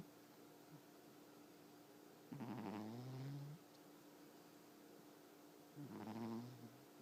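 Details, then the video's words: Domestic cat asleep and snoring: two drawn-out, buzzy, rattling breaths roughly three to four seconds apart, each swelling then fading, over a constant low background hum in a quiet room. "Cat that snores"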